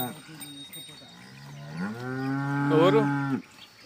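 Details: Jersey cow on a dairy farm in Telugu-speaking India, offered for sale: one loud, long, low moo swelling and rising in pitch over about two seconds before cutting off, with faint talk around it.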